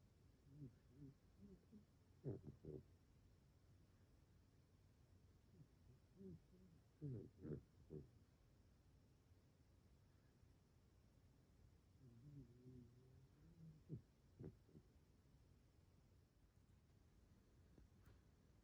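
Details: Fukumaru, a Mame Shiba dog, fast asleep and snoring: soft, low snuffling grunts in short clusters, with a few sharper snorts spaced several seconds apart, in a quiet room.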